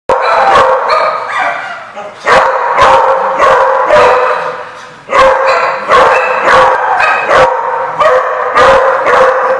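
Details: Many dogs bark together in a lot, sharp loud barks overlapping in a dense, continuous chorus with strong echoing noise.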